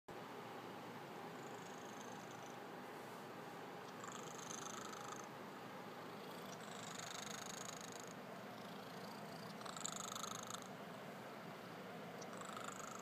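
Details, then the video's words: Domestic cat snoring while asleep: a soft, steady rasping hum with hissy breath bursts every two to three seconds, each lasting about a second, in a quiet room. "Snoring cat"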